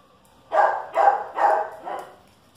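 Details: Dogs, a Chihuahua against a dachshund, barking: four sharp, bright barks in quick succession about half a second apart, the last slightly weaker, with silence before and after.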